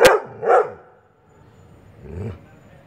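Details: A Labrador Retriever, annoyed by chirping birds, gives three deep, abrupt barks, the last one lower and more drawn out.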